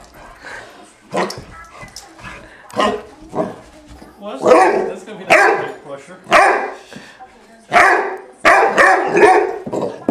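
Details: Four-month-old female Great Dane puppy attacking her hair brush in play, giving loud, rough barks and growly yaps in short bursts, several close together in the second half, with a person talking over them.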